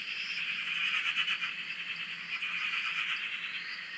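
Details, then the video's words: Dense frog chorus at a dam in Australia, recorded from a shack: many overlapping trilled calls forming a constant buzzing mass with no pauses. "Frog Chorus- Australia"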